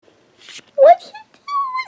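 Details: Five-week-old Persian kitten at play gives a short, thin, rising mew, then a longer, steady, high mew that drops at the end, with a brief muffled voice-like sound just before.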